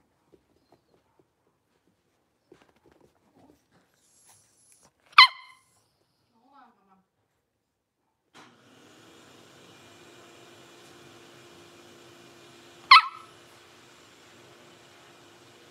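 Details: Blenheim Cavalier King Charles Spaniel puppies, a litter of five born at New Year in a home puppy pen: two sharp, high yipping barks about eight seconds apart, near silence between, then a steady low hum in the background.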